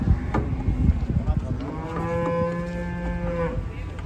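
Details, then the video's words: Raging cattle: a few dull knocks and thumps, then one steady, low, drawn-out moo of about a second and a half that holds its pitch before breaking off. "KUMPULAN SAPI NGAMUK"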